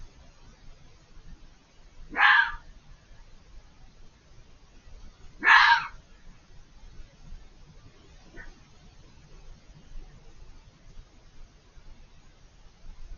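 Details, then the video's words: Unseen fox beyond a hedge gives two loud, rasping screams about three seconds apart, followed by a much fainter short cry; quiet background between calls. "The chilling sound of a fox screaming"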